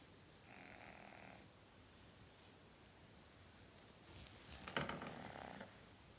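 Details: Franky the pug sleeping and snoring: one short, raspy, humming snore early on, then a quiet gap and a longer, louder snore that builds to a snorty peak before fading, in a quiet indoor room.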